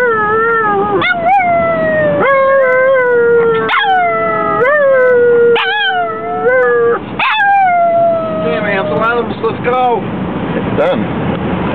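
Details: Singing Chihuahua heading to a chihuahua race: a series of tonal howls, each starting with a sharp upward yip and then gliding slowly downward, growing choppier and broken toward the end, with faint voices.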